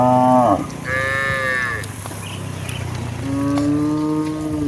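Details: Hundreds of village cows being driven home from the fields to the barn in the afternoon; a short deep moo, then a higher-pitched wavering low, a pause of shuffling noise, and another long, steady moo at the end.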